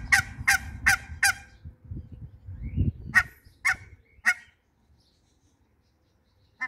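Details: Mallard ducks, kept as a couple in a backyard farm together with hybrid runner ducks, giving loud, harsh quacks: a fast run of four, then three spaced ones, then a final single quack after a pause. Low rumbling background noise.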